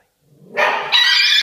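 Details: A Schnauzer puppy gives a single high, sharp bark that rises quickly from a soft start, seemingly startling himself with his own bark.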